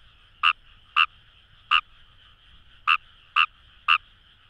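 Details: Fejervarya kawamurai in flooded rice paddies near the Kamo River, Itoshima, Fukuoka, Japan: six short rasping croaks, three in quick succession, a pause, then three more, over a steady background trill of neighbouring frogs.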